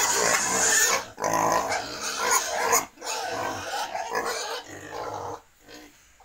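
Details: Pigs on a Cambodian farm breeding wild and domestic stock give harsh, raspy squeals in uneven bursts, separated by short silent gaps, fading toward the end.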